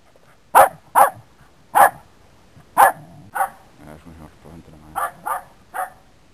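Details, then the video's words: Dog barking, from a dog-versus-cat recording: sharp, loud barks in uneven bursts, about seven over six seconds, with quieter low grumbling sounds between them. "Heimski hundur"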